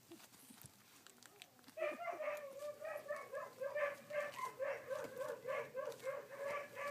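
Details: Collie puppies, sixteen days old, recorded on 3 June 2013; after a quiet opening second, a steady run of high, whiny cries with bright harmonics repeats several times a second until the end.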